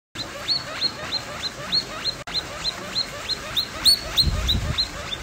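A guinea pig gives a fast run of high, thin squeaks, about three each second.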